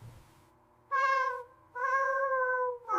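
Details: Domestic cat giving loud meows at dawn, possibly wanting food, movement, contact or simply a response; two clear, harmonic, drawn-out meows in quick succession, the second longer and slightly falling, indoors with little else heard.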